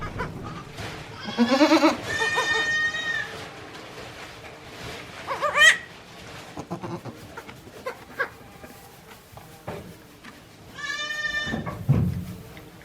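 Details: One-day-old goat kids at a handmade goat farm in Japan, recorded 17 April 2024: several high, wavering bleats with rich harmonics, one wobbling and rising, spread across the recording, with rustling and soft knocks between them.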